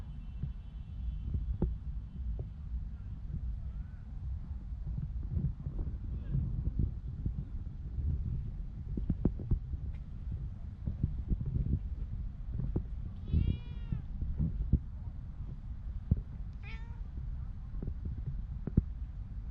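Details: Homeless street cat called Michael Jackson in Ras Al Khaimah, UAE, gives two clear meows, sharp and harmonic, one midway and another near the end, over a constant low rumble and scattered knocks and thumps.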